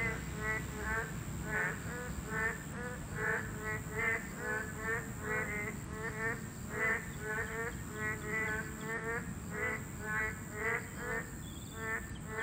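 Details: Class 2 protected boreal digging frogs calling at a breeding habitat: a dense series of nasal, buzzy croaks from many frogs, roughly two per second, with a persistent high-pitched hum behind them.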